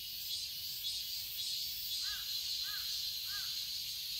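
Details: Summer cicada chorus in a garden in Seoul, Korea, a continuous shrill buzz filling the air, crossed by three short arched calls from another creature, evenly spaced in the second half.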